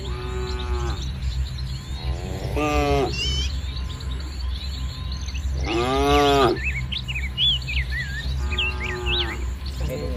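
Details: Village cattle gathered in a large herd across green paddy fields in the morning; several short, harmonic lowing calls come at intervals, some rough and brief, over constant bird chirping and a low rumbling background.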